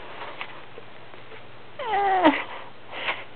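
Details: Young male black stray kitten, kept indoors for a few days, gives one short meow that slides downward, over a steady low hum, with a sharp click and a woman's voice afterward.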